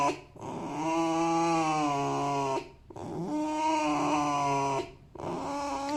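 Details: Happy male fox making drawn-out, even whining squeaks lasting over two seconds, two full ones and the start of a third, separated by brief pauses.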